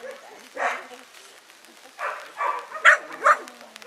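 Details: Five-month-old working-bred Kelpie pup on its first day ever seeing sheep, giving five short, sharp, harsh barks spaced irregularly, the later ones coming in quicker succession roughly half a second apart, over a faint low background.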